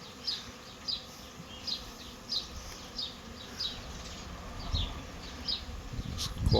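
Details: Honey bee swarm moving into a bait hive in a garden, bees fanning at the box entrance with the queen already inside; short high buzzing passes of flying bees recur about every half second over a steady low hum, with a man talking.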